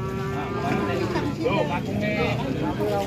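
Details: Jumbo cattle at a livestock sale where a rare large cow arrives late and buyers compete: low harmonic lowing blends into a busy murmur of voices and crowd noise.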